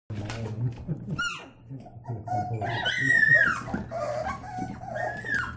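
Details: Labrador Retriever puppies at play, white in colour: high whining yelps and squeals that rise and fall, with a long drawn whine near the middle, over a steady low hum and some human speech.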